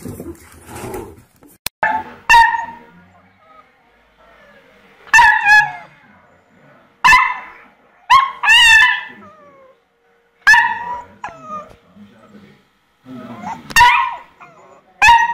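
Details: Puppy learning to bark, letting out bright, high-pitched yaps and squeaky barks in short bursts every two to three seconds, some doubled, with quiet pauses between in an indoor setting.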